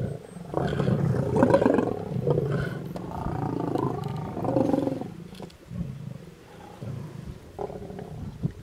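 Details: Lions of a mega pride feed on a buffalo on a road near Satara rest camp in Kruger National Park, South Africa; deep, rasping growls rise and fall in uneven waves, easing off midway before brief loud snarls.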